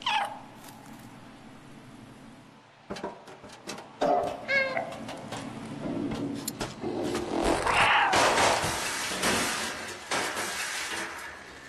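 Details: Cat giving a few short harmonic meows in the middle of the recording, set among clattering knocks and broad noisy rustling bursts that grow louder toward the end.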